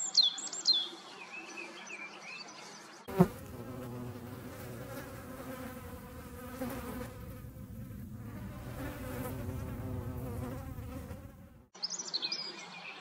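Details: Hornets making room, a dense steady buzzing with low droning harmonics filling most of the recording, with brief high chirps and quieter background before and after.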